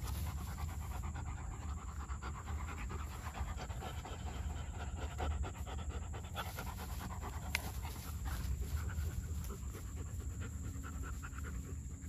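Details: Rapid rhythmic panting from a German Shepherd puppy, soft airy bursts repeating several times a second, with one sharp click midway and a continuous deep background hum.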